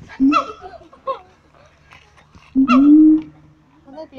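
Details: Siamangs at Taronga Western Plains Zoo: two short, low, slightly rising booms, each paired with a harsh bark, separated by a pause of about two seconds.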